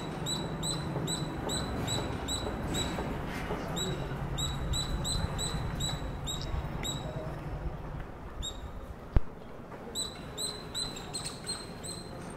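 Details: A squirrel gives rapid, high, thin squeaks in quick repeated bursts over a low background rumble; the owner thinks it sounds like it is calling its friends.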